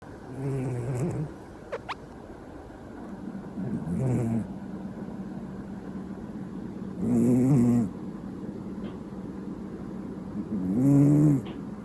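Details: Domestic cat snoring loudly like an old man while asleep; four rasping, nasal snores spaced about three to four seconds apart, each a rough low drone with a faint steady hum between them.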